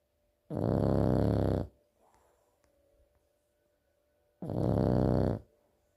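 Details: Two heavy rasping snores from a sleeping French bulldog, each lasting just over a second and spaced about four seconds apart, with soft breathing and near silence between them indoors.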